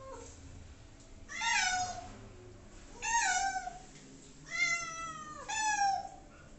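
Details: Domestic cats, two of them, protesting during a bath indoors with shampoo on; four loud, plaintive meows that slide downward, coming roughly every second or so after a soft opening whine.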